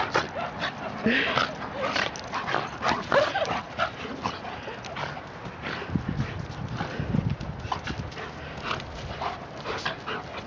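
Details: Two dogs at play, a 12-month-old German Shepherd named Achilles and a 14-month-old Shiba Inu named Hilo. Scuffling, huffing and short whiny vocal bursts come in quick clusters, with brief human voices in the background.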